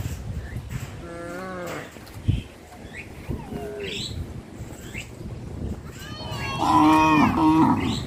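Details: Cattle from a traditional breeding herd walking toward a field: a harmonic, drawn-out moo near second one, then a louder, longer wavering moo from about six seconds, with quieter lowing and rustling between.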